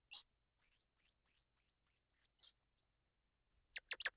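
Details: Squirrel monkey calling a steady string of about eight high, rising chirps, each short and bright, followed after a pause by three sharp, hissy bursts.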